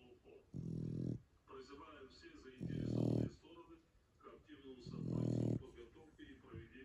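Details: Snoring from a sleeping Shar Pei: three long, rumbling low snores, each about half a second, with faint snuffling breaths in the pauses.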